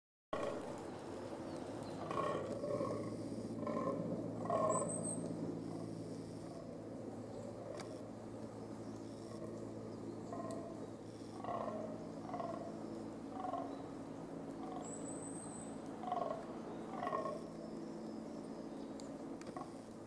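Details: Fallow deer buck in the rut, giving deep, hoarse, belching groans in bursts about once a second over a low rumbling drone; a thin, high bird note cuts in twice in the background.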